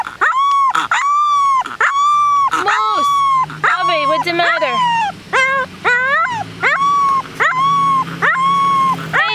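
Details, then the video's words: A 3-week-old Rottweiler puppy, displeased on his first trip outside, howls in a string of high, wavering cries with brief pauses between them. "Rottweiler puppy howling"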